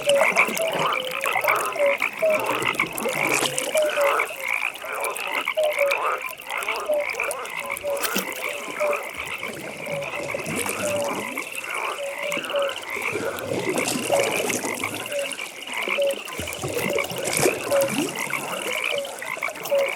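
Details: Frog chorus at a pond in a natural nighttime setting: many overlapping pulsed croaks and rattling trills, with a steady band of calls running through the whole recording and a busy, layered texture.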